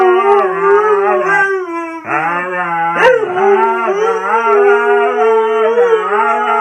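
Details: Continuous husky howl, drawn-out and gently wavering, a lower second voice holding steady beneath a higher one, with brief dips and a sharp rising yelp near the midpoint.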